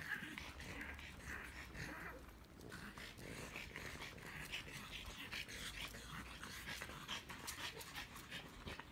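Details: Pororo the French bulldog, captured by iPhone, breathes in a steady, hoarse pant, soft at first and then in sharper regular puffs toward the end, over a constant hiss of room noise.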